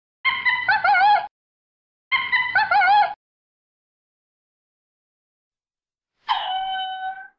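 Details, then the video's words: Brief lemur sounds: two wavering, warbling calls of about a second each with a quivering, pulsed pitch, a long pause, then one steady, drawn-out tonal call with a rough start. No other sounds. "SONIDO DEL LEMUR - SOUND LEMUR"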